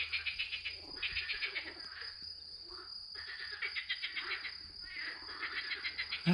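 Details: In April, frogs call from a garden pond in rapid, rattling pulsed bursts that rise and fade in waves; the owner earlier thought he heard a tree frog.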